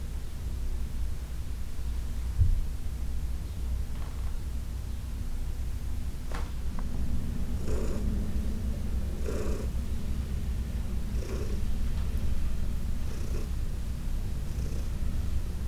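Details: Heidi, a senior domestic cat of about 14 adopted from the Humane Society of New York City, purring steadily during a massage; a continuous low rumble with soft breathy pulses and faint rustling touches of hands.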